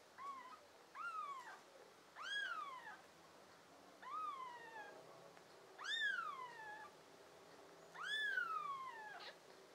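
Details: Young pet kittens, a litter of five American Shorthair and tabby kittens filmed in summer, June 2022, give loud arched meows that rise then fall, about five calls spaced roughly two seconds apart, with quiet room noise between.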